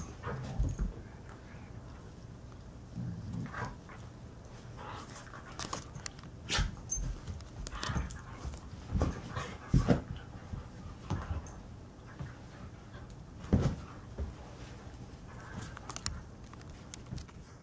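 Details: Morning roughhousing indoors between Painter, a 7-year-old Alaskan Husky, and Blue, a young Karelian bear dog of six months; scattered grunts, muffled growls and panting bursts amid thuds, scrapes and jangling.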